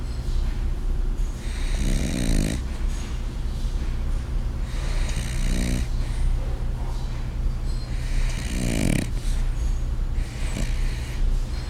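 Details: A glum-seeming French Bulldog snores loudly in rasping, rattling breaths about every three seconds, the snoring growing louder.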